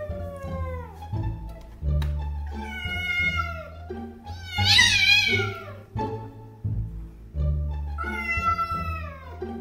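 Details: A domestic cat gives drawn-out, wavering angry yowls at a raccoon seen at the window, with low music humming underneath.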